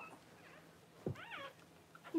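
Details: Newborn Cavalier King Charles Spaniel puppy, indoors at home while the mother whelps her first litter; one short, high, wavering squeal with arched harmonics that rises then falls, in an otherwise quiet room.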